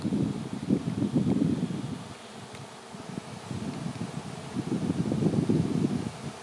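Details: Swarming honey bees fill the air before settling on a branch to await relocation to a new home; a dense, low droning hum swells and fades in waves, with rustling and light wind.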